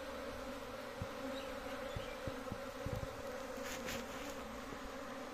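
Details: A big honey bee colony kept at home drones steadily, the hum overlaid by repeated light taps and clicks and a short hiss of brighter noise near the end.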